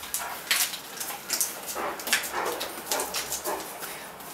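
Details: Great Dane Cartier Bresson at play in a Sao Paulo apartment in August 2014, giving a rapid run of short, rough barks and grunts, several per second, amid scrabbling noises from the small room.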